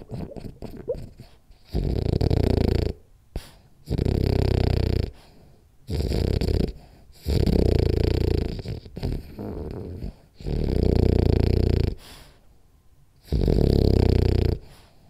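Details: French Bulldog named Rolly asleep and snoring hard: rhythmic, rumbling snores about every two seconds, each a broad, rattling burst lasting roughly a second, with softer breathing between.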